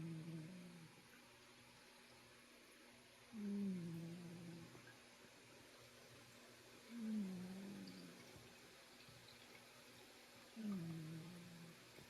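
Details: Kitty snoring in a quiet indoor room, three slow breaths heard as low, slightly falling hums with a raspy edge, spaced roughly three and a half seconds apart.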